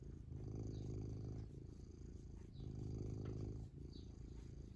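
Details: Domestic cat contentedly purring, a rough low-pitched pulsing rumble in two long swells, each lasting about a second, with quieter dips between and soft scratchy noises above.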